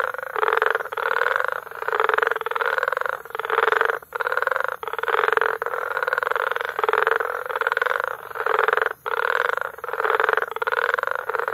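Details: A frog chorus recorded in May at Bagamoyo, Tanzania: dense, overlapping croaking pulses in repeated bursts of roughly half a second to a second, separated by brief gaps, forming a continuous rattling concert.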